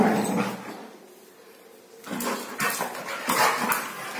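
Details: Labrador Retriever Dynoo playing and play-fighting with his brother Ruby indoors; after a quiet stretch come bursts of gruff growls and short barks, mixed with scuffling and knocking noises.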